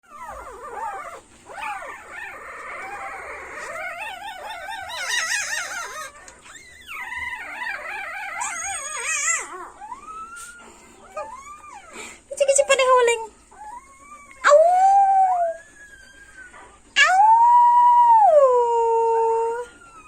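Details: A three-day-old Siberian Husky puppy gives thin, high, wavering howls and squeaky cries.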